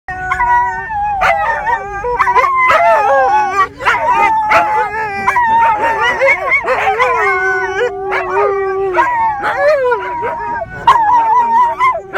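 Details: Two mid-content wolfdogs and a husky howl together in a car on the road, in long, overlapping, wavering tones, with a person howling along.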